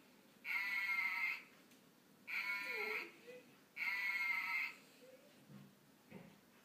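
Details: A golden retriever gives her first vocalisations, three long, high-pitched, wavering tonal whines with short pauses between, a howl-like dog singing; a few faint softer sounds follow at the end in a quiet room.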